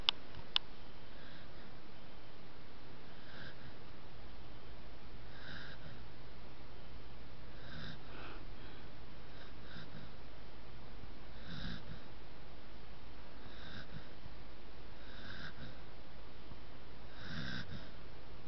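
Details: Cosmo, a corgi, snores softly while held asleep, each breathy, snuffling rasp returning roughly every two seconds; Corgi.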